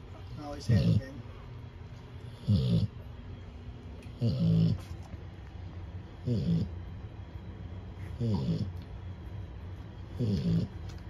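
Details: Cane Corso puppy snoring beneath a heat lamp on 9/23/24, the day the litter visited the vet: six short, low rasping snores at a steady pace of roughly one every two seconds.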